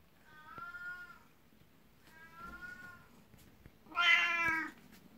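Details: Twelve-year-old black cat Beni-chan, envious of a 19-year-old elder cat, rubs against legs seeking attention; two quieter drawn-out meows, then a louder, brighter one, over low indoor background noise.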